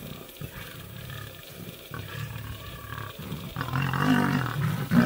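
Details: A lioness protects her cubs from nomadic male lions. Deep pulsing growls repeat roughly every second, then build into a louder, raspy roar over the final second and a half.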